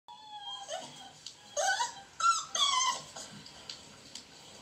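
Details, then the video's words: Beagle puppies outdoors wanting attention while others play fight in a dog house; high, thin whines and whimpers in short overlapping bursts, some sliding upward, some wavering, with a few sharper yelps between quieter stretches. "Beagle puppies out side wanting attention and other ones play fighting in dog house"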